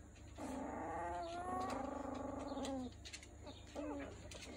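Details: Miniature Schnauzer pups at three weeks old making a drawn-out, wavering whimper lasting over two seconds, followed by a short squeak, over a steady low background hum.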